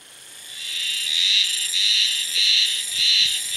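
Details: Cicada singing in early summer, heard calling only at this one spot, which from afar sounded like a frog chorus. The shrill, steady, high buzz swells in pulses roughly every half second.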